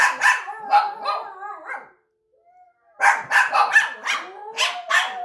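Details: A Yorkshire terrier mix dog gives high, wavering howls broken by sharp yips, in two bouts.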